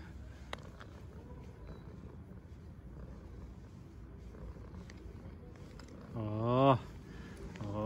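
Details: Hungry stray tabby street cat, one of a group being fed outdoors, gives a single drawn-out meow near the end, its pitch arching up then down, after a long stretch of low outdoor rumble and faint speech.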